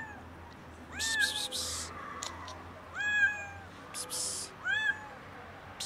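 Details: Hungry kitten meowing outdoors while a cat rests on a car: three clear rising-falling meows, about one every two seconds, with bursts of rustling noise between them.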